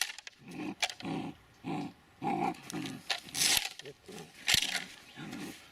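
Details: Dobermann Mayhem Der Biss Von Einherjer gives a steady run of gruff, throaty barks roughly twice a second, with sharp hissy clicks and a faint whistle between them.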